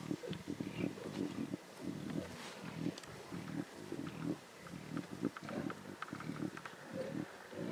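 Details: Lion cubs snarling and growling intensely at a zebra carcass in the Timbavati: rough, low, rasping growls in uneven bursts, roughly one or two per second, with brief pauses between and a faint outdoor background.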